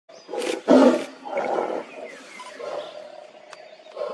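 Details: Lion leaping for food, giving short rough roaring grunts in bursts, the loudest near the first second, followed by softer growling calls and a faint high whine in the background.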